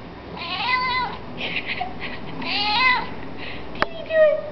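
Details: Domestic cat giving three drawn-out, rising-then-falling meows, the second longest, followed by a sharp click and a short final mew; faint voices in the background.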